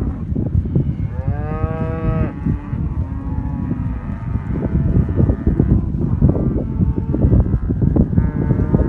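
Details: A herd of black Aberdeen Angus heifers and cows in southern Córdoba: one strong, steady moo from about one to two seconds, followed by weaker lowing calls and continuous hoof and movement noise.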